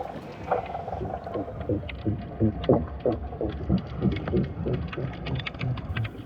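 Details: Young male sea lions give underwater territorial calls, low throbbing pulses about three a second, recorded by hydrophone amid ocean noise and bubbles; lacking a place on the rock, they claim an underwater territory instead.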